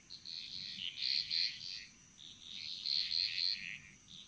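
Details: Frogs calling together in a Balinese jungle: two swelling bursts of fast high-pitched chirps and trills, separated by a brief lull, with a steady insect hum behind.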